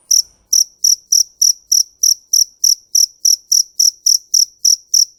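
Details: Fighting cricket's call: a rapid, regular train of shrill, piercing chirps, roughly three per second, each with a clean ringing tone, heard alone in quiet surroundings.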